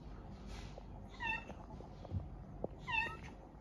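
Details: Female cat at a veterinary clinic for spaying, meowing indoors: two drawn-out, wavering meows about two seconds apart over a steady low room hum and soft background noise.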